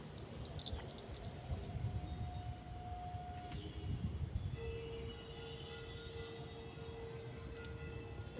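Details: Quiet mix of low rumble and music-like steady tones, one tone held from about four and a half seconds to the end, with faint train or vehicle noise and no clear animal voice.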